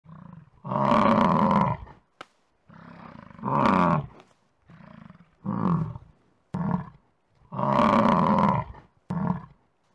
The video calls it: Bison - Sounds Effect ( Copyright free - creative commons )